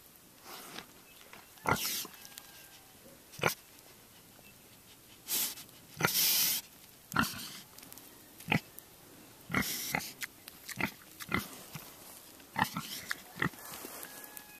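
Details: Friendly Berkshire boar LT, about 4.5 months old, and mature Large Black boar Tater, October 26, 2012: short, sharp, breathy snorts and sniffs that come irregularly, every second or two, some in quick pairs.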